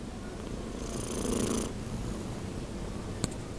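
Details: Young domestic cat almost six months old snoring while asleep: continuous low rumbling with rhythmic pulses, a louder breath swell in the middle, and one sharp click near the end, recorded indoors.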